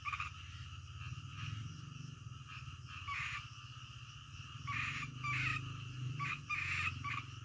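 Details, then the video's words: Night frog chorus with bursts of rasping croaks rising and fading roughly every second or two over a constant low droning background. "SUARA KODOK DITENGAH MALAM"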